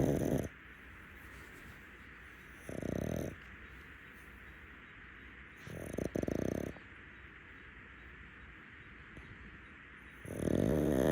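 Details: Rescue pug asleep on a futon during a daytime nap. Short, gravelly snores of half a second to a second recur at uneven intervals of about three to four seconds over a quiet room.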